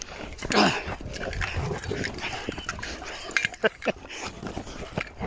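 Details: Dogs, a Blue blood bulldog, German Shepherd and Presa Canario, playing together with a bite pillow; a short high whine near the start, then scuffling, huffing bursts and sharp noises, with a person talking nearby.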